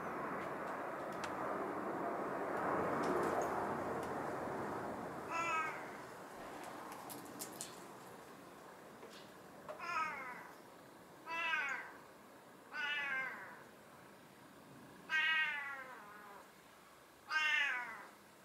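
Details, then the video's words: A talkative black-and-white hachiware domestic cat meows again and again, each call a short, drawn-out, slightly falling mew. "よく鳴くハチワレ"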